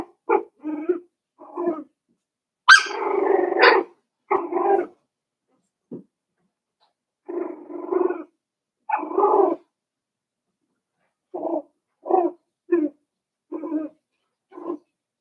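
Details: Cavalier King Charles Spaniel puppies, five weeks old, yapping in their pen: a steady string of short, high yips and small barks, one longer squealing whine early on, with brief pauses between bursts.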